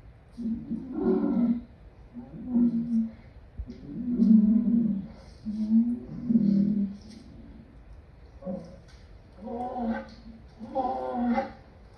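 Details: Lion producing a series of short, deep grunting roars, roughly one every second or two, some rougher and longer than others, with brief silences between bursts.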